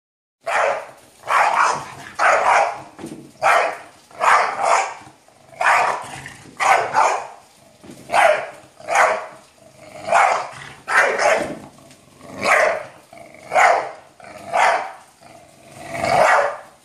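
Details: An English Bulldog barks steadily at a harmless door, one gruff bark about every second.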